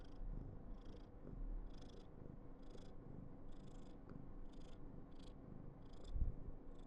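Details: Karen, a female Somali cat in a cuddly mood, gives a rich, even purr; airy rasping breaths recur at irregular intervals of under a second, with a small knock near the end.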